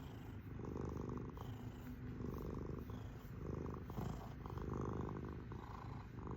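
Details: Kitty cat giving a loud, low, buzzing purr, rhythmic rises and falls as it breathes in and out, recorded close in a quiet room.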